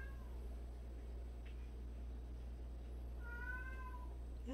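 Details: A cat in a household of 76 cats, including strays and abandoned cats, gives a faint falling mew at the start, then a clearer level meow after three seconds, over a steady low hum.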